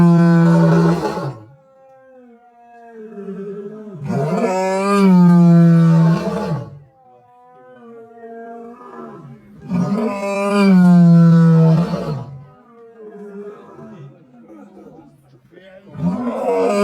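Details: Lion roaring: three long, loud, deep roars with rich harmonics, about six seconds apart, each lasting around two seconds, with quieter grunting and rumbling between them and a fourth roar starting at the end.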